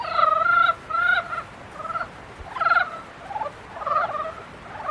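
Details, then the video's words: Mating-season frog chorus of rich, nasal croaks: two drawn-out buzzing notes at the start, then softer and rougher replies from other frogs close behind. "개구리 짝짓기"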